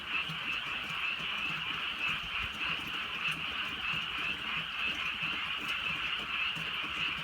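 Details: Frogs in rural countryside on a night of light rain, sending up a continuous chorus of overlapping croaks that swells and eases gently, over a low bed of drizzle noise.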